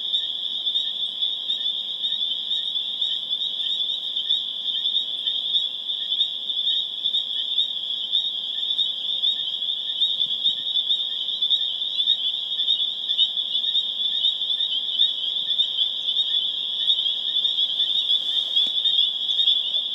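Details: Chorus of spring peepers in Harvard, Massachusetts, recorded April 27, 2011, building toward a crescendo: countless high piping peeps merge into an unbroken, ringing drone that holds steady throughout.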